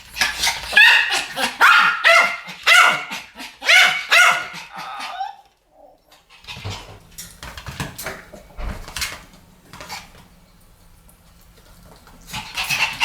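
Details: Pomeranians in a barking duet: a quick run of shrill overlapping yaps in the first five seconds, then quieter rustling and faint noises, with barks returning at the very end.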